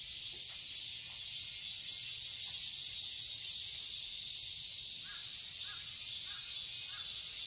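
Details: Summer cicadas in a garden in Seoul, Korea: a bright, pulsing high drone swelling in regular beats. Faint, short crow-like caws sound toward the end.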